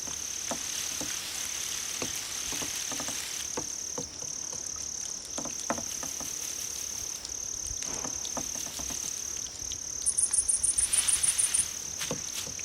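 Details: Grass insects, likely crickets, played to draw a cat's attention: a continuous shrill high trill is punctuated by soft irregular clicks, and a string of about eleven rapid high chirps arrives near the end.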